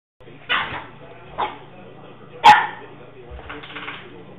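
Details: Baby Jack, a three-month-old 7 lb puppy, playing tug with his two-year-old 30 lb big brother Dan: several short, harsh barks and growly yips about a second apart, over a steady low hum.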